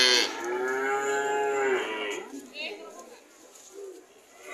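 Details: Cattle call: one loud, drawn-out harmonic moo lasting under two seconds, then quieter low sounds and background noise.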